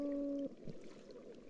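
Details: A Gulf toadfish on an estuarine reef, recorded by passive acoustic monitoring, gives a low, steady, horn-like hum broken by brief grunts.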